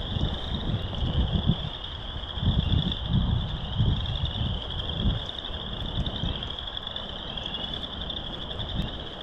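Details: Chorus of frogs at Burr Reed Marsh, Morton Arboretum, heard in March on loop 3: continuous shrill pulsing trills blending into one high band, with bursts of low rumbling and wind-like noise underneath.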